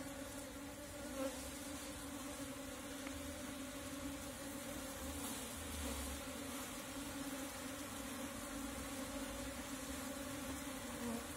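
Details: Natural swarm of Asian honey bees (Apis cerana) being caught with a bee cap: a steady, dense droning hum holding two low tones throughout, with faint broadband hiss above and no other clear sounds.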